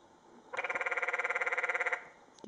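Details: A single canyon tree frog in Secret Canyon, Sedona, Arizona, 2011, vibrating in water so the surface ripples, gives one clear machine-like pulsed trill of about a second and a half, around twenty rapid even pulses.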